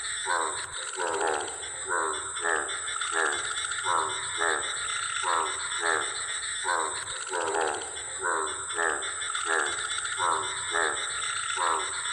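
American bullfrog giving a steady series of throaty, resonant croaks, one about every two-thirds of a second.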